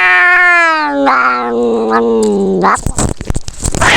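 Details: Fighting cat giving a long, wavering yowl that starts high, sinks gradually and wobbles for nearly three seconds, then breaks into a flurry of scuffles and hissing noises.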